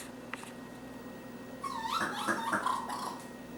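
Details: A young raccoon, lost in a kitchen in early July 2013, gives high, wavering whimpers and twitters in a quiet room.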